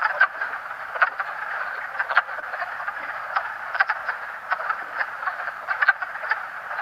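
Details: Male wood frogs calling from a vernal pool, sides protruding as they call: a dense chorus of quacking clucks, with louder individual quacks standing out roughly every half second to second over the steady background chorus.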